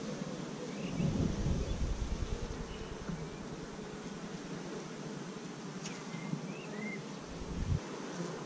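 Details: Colony hum of honey bees, week five of a hive begun with 15,000 bees in May 2017, GoPro recording: continuous buzzing drone with low rumbling thumps at the start and end, plus a few faint high chirps.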